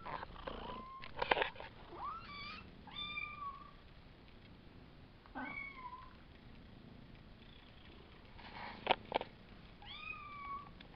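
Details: Five-week-old Savannah kittens, a litter of three males and two females, mewing indoors: repeated thin high meows that rise then level off, several in quick succession, with clicks and rustling between.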